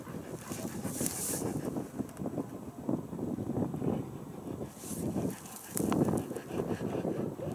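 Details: Caucasian Ovcharka dog panting while out on a walk on a hill: quick, breathy, rhythmic huffs in steady bursts, partly masked by gusts of wind rumbling across the microphone, with a couple of brief hissy wind peaks.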